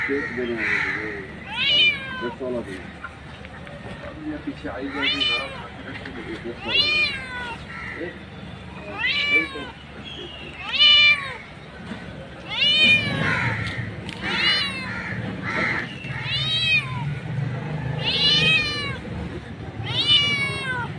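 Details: Mother street cat calling her kittens, repeating short, steeply falling meows at irregular intervals, around a dozen in all, with low background voices and rumble in between.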